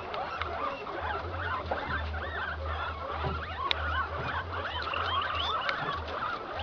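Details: Improved Inti-line male guinea pig in heat mating with an improved Peru-line female on a farm: deep pulsing rumbles in bursts lasting about a second, under a dense chorus of high squeaks and whistles from many other guinea pigs.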